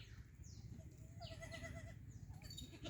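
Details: Black Bengal goat on a farm, a soft wavering bleat with a rapid tremolo lasting under a second midway through, over a steady low hum and faint high chirps from other birds.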